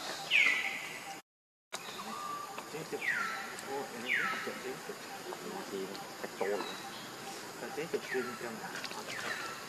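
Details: Baby monkey Lucie, very hungry and stealing milk from Libby, gives about six sharp, high cries that fall steeply in pitch. The cries come in irregular bursts across the recording over a busy background of rustling and low murmuring.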